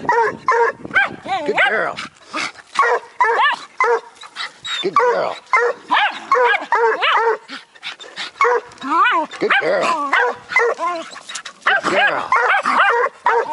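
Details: A Bluetick pup and a Jack Russell bark at a cornered raccoon. Persistent high, arching yelps and sharp barks continue almost without pause, mixed with a man repeatedly encouraging the dogs.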